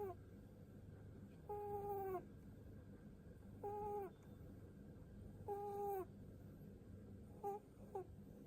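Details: Seven-year-old pet rabbit making soft snore-like sighs, a pu-pu sound while its head is stroked: steady nasal tonal hums, each about half a second with a slightly falling end, roughly every two seconds, over a low indoor hum.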